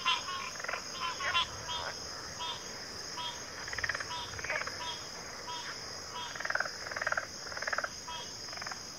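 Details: Chorus of backwater frogs, pig frogs and water frogs among them, giving irregular bursts of buzzy, rattling pulsed calls, some in rapid trains, beneath a continuous shrill insect hum.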